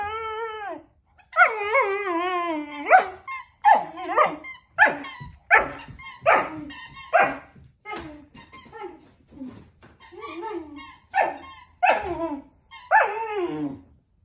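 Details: Male puppy whining over a squeaky toy, as he does with any squeaky toy. Long, wavering, high nasal whines rise and fall in pitch. Short sharp yelps and squeaks come in quick bursts between them in a quiet indoor room.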